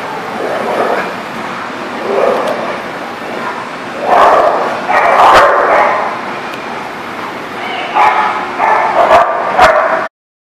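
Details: Barking dogs: quiet stretches broken by loud clusters of rough, clipped barks around the middle and again near the end, with a few higher yelps among them before the sound stops abruptly.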